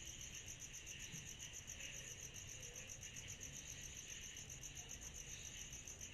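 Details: Chorus of cicadas on a summer night: a steady, very high, finely pulsing shrill that never pauses, over a softer buzzy band lower down and a low rumble of background noise.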